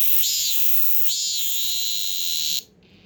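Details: Indoor chorus of caught male cicadas, fifteen in all, in Korea during summer: a steady piercing high-pitched drone with two rising-falling swells, then abruptly stopping near the end.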